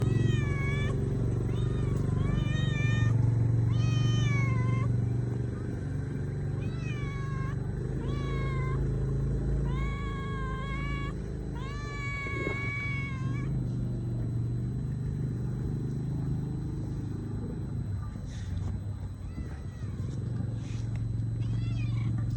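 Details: A hungry stray mother cat, around mealtime, gives a run of short, insistent meows, each with a rising then falling pitch.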